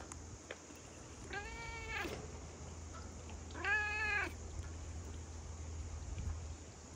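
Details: Big fluffy cat with a large head, outdoors after rain, meowing as it approaches to be petted; two drawn-out harmonic meows around the second and fourth seconds, with a low steady hum and faint background noise.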